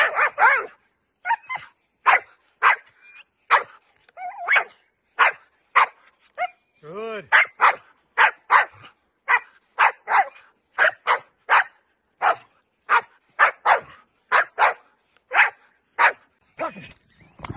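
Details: Dutch Shepherd barking during a training session: a steady series of short, sharp barks about twice a second, with a trainer's spoken commands mixed in.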